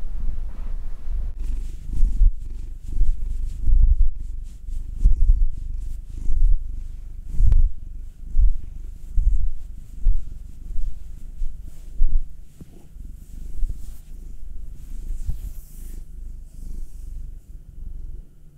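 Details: Domestic cats purring while being massaged: Will, a nine-year-old male black cat, and Anzu, a two-year-old female tortoiseshell Munchkin. A deep, low rumbling purr swells and fades in steady rhythmic pulses about once a second, with faint rustling of handling.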